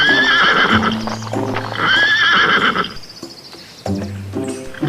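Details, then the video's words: Horse whinnying twice, each a loud, shaky, high neigh that falls away over about a second, over steady background music with a low bass tone. "Learn Animal Names And Their Funny Sounds, Cow, Deer, Dogs, Donkey, Monkey, Horse"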